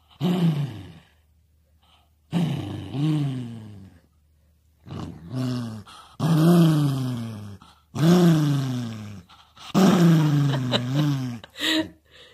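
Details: Choco, a chocolate poodle, growls to guard its treat while its snack time is interrupted. Six low, harmonic growling bursts of one to two seconds each rise and fall in pitch across about twelve seconds, with short silences between them.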